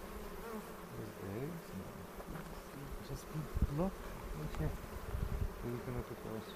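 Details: Honey bee colony in a bee yard in the foothills near Cochrane, opened on April 27 to look for queen cells and make a split; a continuous low hum with wavering tones, soft knocks and a murmuring voice.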